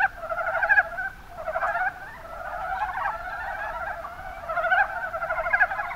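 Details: A chorus of Mountain brown frogs recorded in Kumamoto's Kuma Basin, Japan: bursts of chuckling, pulsed croaks from several frogs that swell, ease off briefly near the second second, then build again.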